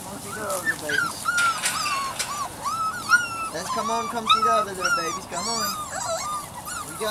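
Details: A Weimaraner x Vizsla litter of Biscuit's, aged three to four weeks, keeps up a steady chorus of short, overlapping, rising-and-falling whimpers and squeaks from several pups throughout.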